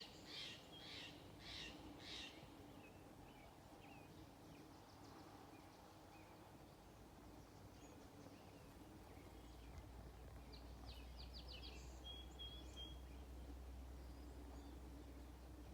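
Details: Among spring apple trees, a low, steady hum of many buzzing bees runs throughout, with harsh bird calls and a few whistles above.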